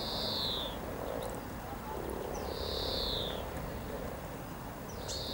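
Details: Hundreds of frogs mating in spring near Cow Tower on the Norwich riverside walk, 7 April 2013: a dense, low, purring chorus murmurs throughout, while a bird's bright descending whistles cut in three times above it.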